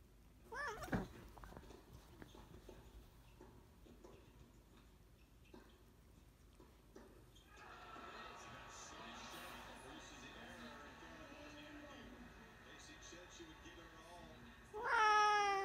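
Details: Oriental Shorthair cats indoors: two loud, harmonic meows that rise and fall, one near the start and one at the very end, separated by a stretch of background television sports commentary and quiet household noise.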